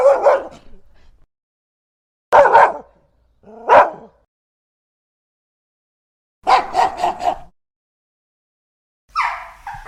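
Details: Dog barking in short, separated bursts: single sharp barks with pauses of about a second or more between them, then a quick run of four rapid barks, ending with one more bark. No other sounds.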